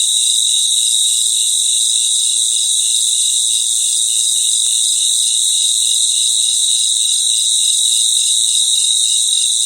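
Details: Crickets fill the night with a thick, steady chorus, with sustained piercing high trills layered over a rhythmic, quickly repeated pulsing chirp. The sound is continuous and unchanging, with no other noises.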